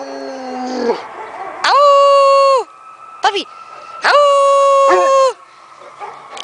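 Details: Newfoundland dogs howling along to an anthem: two loud, clear, high howls of about a second each, separated by quieter gaps with short whimpering notes and a faint voice.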